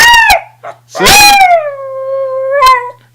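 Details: Pet dog singing on command, a sustained tonal howl that rises then slides slowly downward and holds steady, preceded by short yelping bursts and a brief final upswing, with a person chanting "sing" around it.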